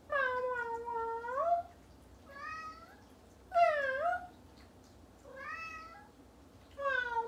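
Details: Bengal cat Ginger chatting with one of her human friends in a small room, giving five rising-and-falling meows spaced about a second or two apart, some wavering and drawn out.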